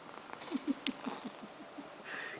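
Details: Maine Coon male cat snoring indoors in the morning: a soft, low, rapid pulsing rattle, about six beats per second, fading toward the end, with a faint sniff and light rustling.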